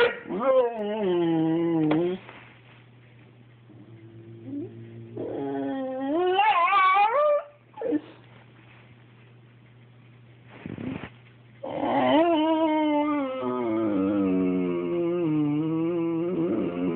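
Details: Boxer dog whimpering while trying to get a cat to play; long, high, wavering whines rising and falling in pitch, some ending in short yips, broken by brief pauses, with a low steady hum underneath indoors.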